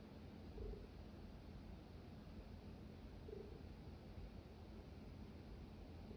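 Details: A small domestic cat named Jasper gives a quiet, unbroken low purr, a droning rumble lasting the whole stretch, with two faint short tonal sounds above it and no other clear noises.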